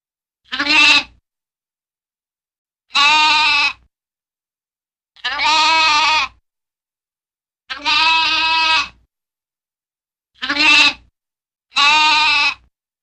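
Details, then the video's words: Lamb bleating: six loud, wavering, richly harmonic bleats, each under a second to about one second long, spaced roughly two seconds apart with clean silence between, no other sounds. "Wild Animal Sounds In Nature: Cheetah, Boar, Crocodile, Lamb, Duck, Squirrel"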